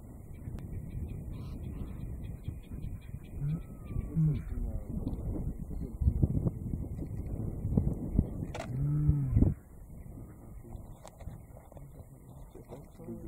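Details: Male lion in Manyeleti Game Reserve giving a soft roar, believed to be calling for his brother; two deep moaning grunts near four and nine seconds, with murmured voices, a brief whistled bird note and vehicle rumble.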